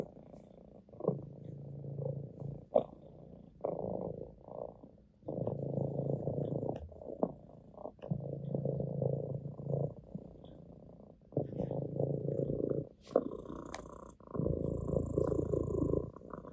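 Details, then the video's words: Orange tabby house cat purring on an owner's lap: rhythmic low rumbling bursts of about one to two seconds, alternating with brief quieter pauses as the cat breathes; a faint steady tone near the end. "the cat purrs on my lap"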